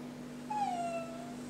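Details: Jack Russell Terrier puppy, trained to copy its owners' words, answers a request to say merry christmas with one drawn-out whine that slides gently downward, over a steady low electrical hum.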